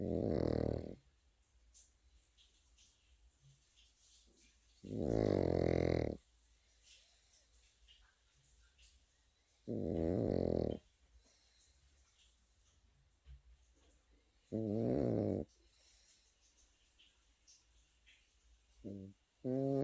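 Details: Snoring of a sleeping Pekingese puppy: four rumbling, vibrating snores spaced about every five seconds, each around a second long and buzzy, with the start of another at the end and quiet gaps between.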